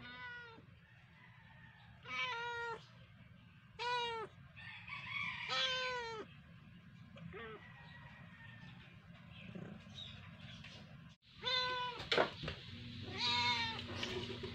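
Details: Rescued domestic cat named Bunso with her kittens at play time; a series of clear, high, arched meows, repeated in short bursts about every two seconds, some overlapping, over a low steady background hum.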